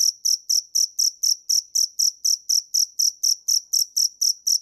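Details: Crisp, repeated chirps of a cricket (dế mèn), high and piercing, evenly spaced about four each second against a silent background.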